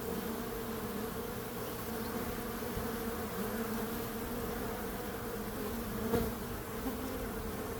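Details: Bees hum in a constant layered drone, two steady tonal bands running the whole time, with one brief louder buzz passing near the end.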